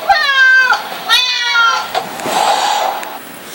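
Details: Two clear, long meows from a domestic cat indoors, each a rich harmonic wail lasting over half a second, followed by a softer breathy sound and quiet background.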